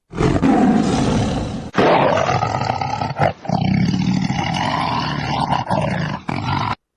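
A lion roars in several long, deep, rasping bursts, each lasting one to two seconds with brief breaks between them.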